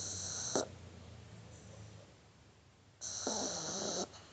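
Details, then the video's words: Shar Pei puppy asleep in a person's arms, snoring: a broad hissing breath with a low rumble near the start, a quieter stretch, then a second loud, noisy snore lasting about a second. "Cachorrito Shar Pei roncando"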